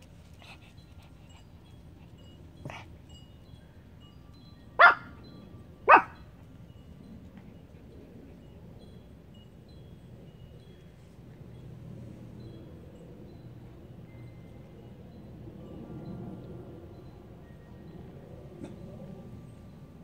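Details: A Pomeranian growling and barking at the air indoors; two sharp barks about a second apart near the middle, an earlier fainter yip, then low quiet growling rumbles for the rest.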